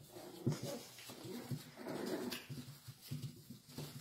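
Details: A litter of salt-and-pepper Miniature Schnauzer puppies at play gives low, rough growls and short, gruff yaps in quick bursts.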